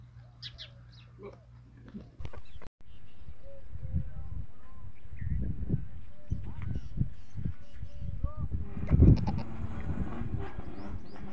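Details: Farm goats in the early morning, calling for feeding, with kids bleating on hearing the adults. Short arched, nasal bleats recur amid a steady low rumble, with human voices heard alongside.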